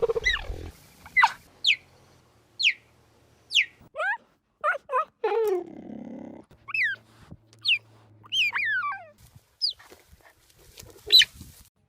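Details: Cheetah chirping, a bird-like sound said to come from the special shape of the bones in its throat, since it cannot roar like a lion or tiger. Sharp, high whistled chirps sweep downward, spaced about a second apart, with a brief low rumble between.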